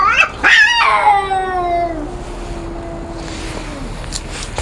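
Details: Two cats squaring off in a fight: short sharp cries, then a loud wail that sinks into a long, low, sustained growling moan, ending with faint hissy sounds.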